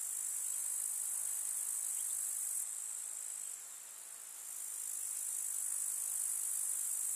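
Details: Chorus of grasshoppers in a village summer meadow: sharp, high, sizzling stridulation, steady at first, then briefly quieter before rising back to full strength.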